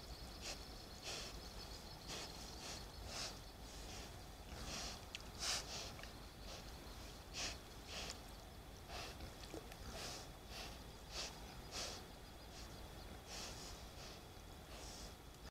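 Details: Herd of wild boar (Sus scrofa) that often visits the reeds in the Dolina Karpia to bathe; short breathy snorts and sniffs repeat roughly every second over a steady low rumble.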